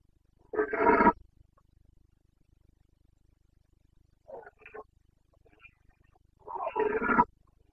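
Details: Rutting Carpathian stag in Bucovina's mountains, breeding season, 29 September 2022: two loud, rough, harmonic roars about six seconds apart, each near half a second long, with a few short grunts between them.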